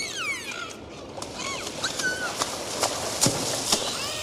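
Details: Underwater dolphins make sweeping whistles that glide downward and arc upward, mixed with sharp broadband clicks and pulses at irregular intervals, all over a constant ocean hiss.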